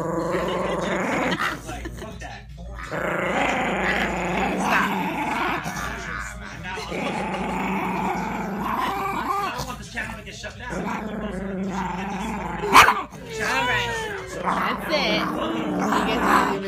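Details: Moody male Chihuahua pup growling in rough, rumbling bursts, rising into thin whiny yips and whimpers near the end, with people talking throughout.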